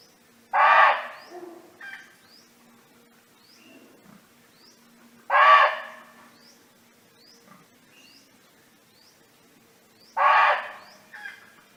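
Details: Wild, free-roaming barking deer calling friends: three loud, hoarse barks about five seconds apart, each followed by a softer echo-like grunt, over a steady background of short, rising bird chirps.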